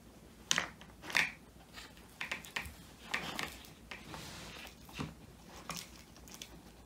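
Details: Male Old English Sheepdog named Woody gnawing a whole quail treat indoors, recorded by phone: loud crackling crunches and tearing bites at uneven intervals, several strong snaps early on, softer chewing between.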